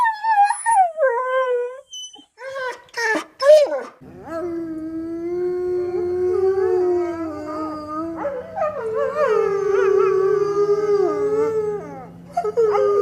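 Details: Dog howling: a few short falling whines, then a long drawn-out wavering howl with rich overtones that rises and dips over about nine seconds, ending in a brief final note.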